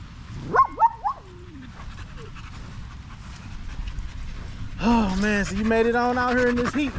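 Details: Male Staffordshire Bull Terriers chatting together on a long evening at the park: a few sharp, rising yelps early on, a quiet spell, then a sustained low, moaning howl with rich overtones that wavers slightly before trailing off.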